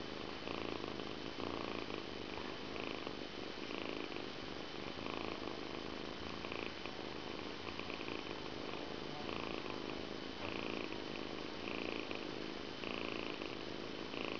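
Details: Stefan the Persian cat purring through his evening grooming, a quiet continuous rumble that swells and eases in a regular breathing rhythm, close and intimate.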